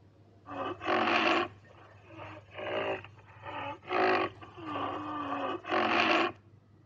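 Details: Rhinoceros calling in a series of rough, loud bursts mixed with softer tonal moans that slide downward, about five strong calls spaced roughly a second apart, low constant hum in the background.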